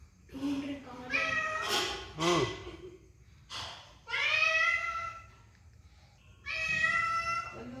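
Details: Pet cat meowing twice in long, bright calls that sag slightly at the end, after a short opening burst of human voices and clatter.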